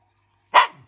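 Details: Shiba Inu indoors giving one brief loud bark, trailing off quickly, between a person's questions about daddy being out.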